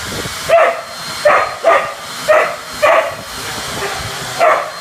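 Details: Sunny, a whippet, during vacuuming, giving six short, sharp yipping barks at uneven gaps across about five seconds over a steady low background hum.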